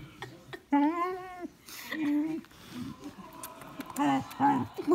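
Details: Vizsla dog overwhelmed by its owner's kisses, giving short, steady, nasal whines, about four in five seconds, with a person's voice murmuring alongside.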